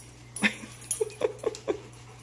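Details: Rottweiler named Macho, a pet dog described as sleeping and snoring all day; a brief louder sound, then four short, soft whimper-like pulses in a steady row about a quarter second apart, with a faint steady hum beneath.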